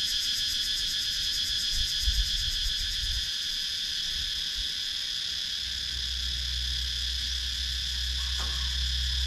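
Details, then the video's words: Countryside woods in Sakon Nakhon, Thailand, with cicadas calling, filmed on a GoPro Hero 9: a sustained high buzzing chorus with rapid pulsing in its top layer, a low background hum, and a short click late on. "Cicadas Sound"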